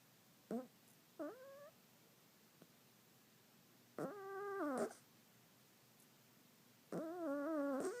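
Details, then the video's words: Snoring cat named Newman in a small quiet room; short nasal squeaks give way to longer, wavering, whistled breath-tones near one second each, roughly three seconds apart. "Newman, my snoring cat"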